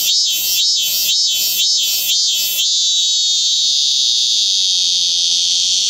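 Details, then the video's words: Shrill song of the cicada Hyalessa maculaticollis: a run of five or six rapid pulsing beats, about two per second, smoothing out into a continuous high, even metallic buzz. "Hyalessa maculaticollis/참매미"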